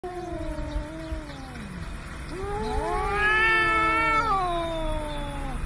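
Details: Cats fighting: drawn-out wailing yowls that slide downward, then a rising, warbling howl that swells louder and wavers before dropping away, with a low rumbling background.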